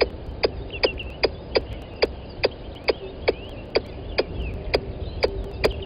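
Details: Calling squirrel beside the microphone at Gowrie dam, Djuma Game Reserve, Sabi Sand Wildtuin, South Africa, recorded 10:41 on 12/09/20. Regular sharp tick-like chucks, slightly spaced, with wavering bird whistles and soft background hum.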